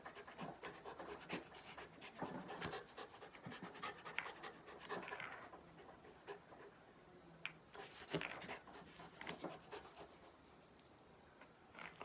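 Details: Shiba Inu named Ganmo, a pet dog, panting while playing with a plastic bottle cap and a which-hand guessing game with its owner; quick breathy huffs in uneven bursts, with soft handling noises.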